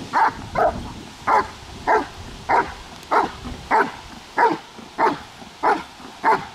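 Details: German Shepherd during protection training barking hard and steadily, eleven short forceful barks in under seven seconds, each a brief mid-pitched burst with little else heard.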